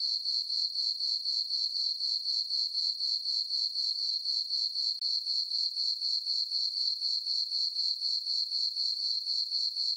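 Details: Crickets at night in a summer farm meadow beneath a full moon, chirping in a fast, metronomic rhythm of about four pulses per second on one high pitch, no other noise present.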